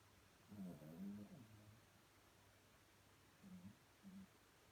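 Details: Sleeping, dreaming little Chihuahua with quiet snores: a soft rasping breath, then a pause, then two short faint snorts near the end, in an otherwise still room.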